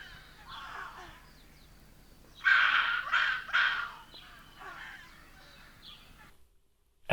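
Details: A rock hyrax calls at night with harsh, rasping, croaking calls in loose clusters, a loud run of three grating shrieks in the middle; the sound could be taken for an odd owl.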